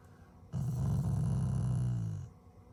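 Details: Affectionate, not angry, growl from a family Shiba Inu toward its owners: a single steady low rumble lasting nearly two seconds, even in pitch, fading slightly at the end.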